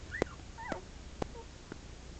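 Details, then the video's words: Shetland Sheepdog puppies at eleven days old, eyes not yet open, snuggled in a blanket; a few short bent squeaks mixed with sharp clicking knocks roughly every half second. "Sheltie puppies wobbling and squeaking"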